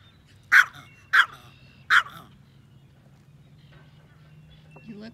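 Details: A yorkie, a small pet terrier fond of fishing, lets out three quick, sharp barks less than a second apart, then falls quiet.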